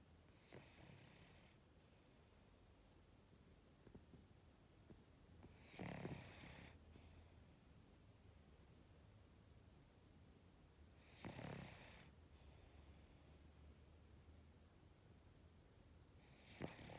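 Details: A cocker spaniel sleeping belly up snores softly, each breathy, rasping snore coming about every five and a half seconds; recorded 30 November 2018.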